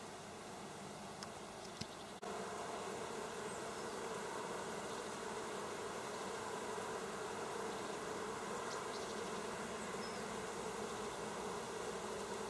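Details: Honeybees busy at work, recorded on 27 August 2024: a steady, dense hum of many bees buzzing together throughout, with a few brief sharper clicks near the start.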